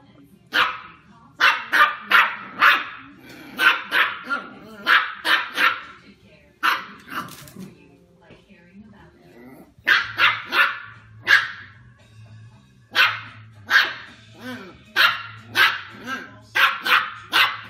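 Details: Female West Highland White Terrier puppy meeting her new sibling, giving bursts of sharp, high barks in quick clusters of three or four, separated by short pauses, over a low steady hum.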